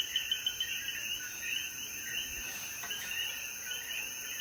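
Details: After the rain at sunset in Jayuya's mountains, Puerto Rico, a chorus of coquí frogs keeps up a stream of bright chirping notes. A sustained high insect tone sounds alongside, and a few sharp clicks come near the start.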